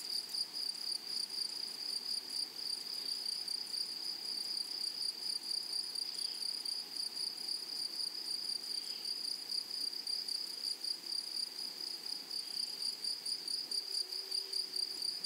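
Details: In a flowery meadow, grasshoppers keep up an unbroken, piercing high buzz with a faint upper overtone. A few soft, brief lower sounds appear near the end.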